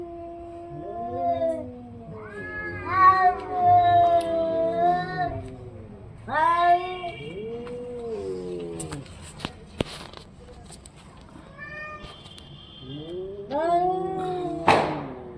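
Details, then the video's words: Orange and white cat giving a long series of drawn-out, wavering meows and caterwauls, some rising then falling, in bursts with short pauses, plus a brief clatter near the end. "cat funny sound"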